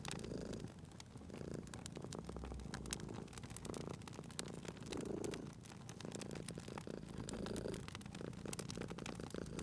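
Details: Low, rhythmic purring of a sleeping cat near a crackling fireplace, soft rumbles pulsing with each breath every one to two seconds, mixed with constant wood crackle and popping.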